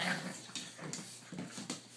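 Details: Blue Boston Terrier father playing with his puppies, aged 3 months and 5.5 weeks, recorded on a cell phone: short huffy growls and whimpering yips in quick bursts about every quarter second, with scuffling of play.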